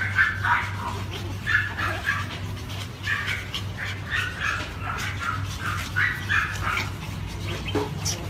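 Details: Cheeze, a Pomeranian, giving a rapid run of short, high yipping sounds several times a second, some rising and whiny, over a steady low electrical hum throughout.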